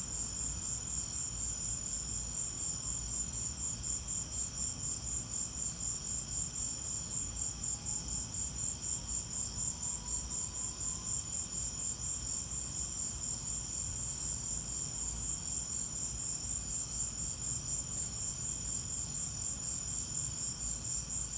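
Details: Cricket chorus in a lightning storm, shrill high pulses repeating about four times a second without pause, set against a continuous deep rumbling noise.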